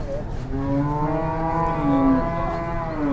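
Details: Agitated cow, said to be 'possessed', bellowing in one long, rich harmonic moo lasting about three seconds, steady in pitch with slight wavering, over low background rumble.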